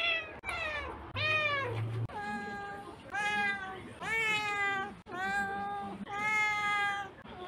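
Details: Domestic cat meowing indoors: a run of long, harmonic-rich meows, each rising then falling, spaced about a second or two apart, with short gaps of quiet between them.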